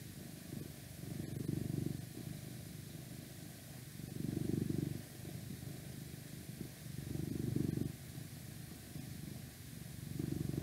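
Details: A 12-year-old male pet cat, the eldest of six, purrs indoors. The deep, steady rumble rises and fades with each breath, a swell roughly every three seconds, over a soft hiss of outside noise from a window.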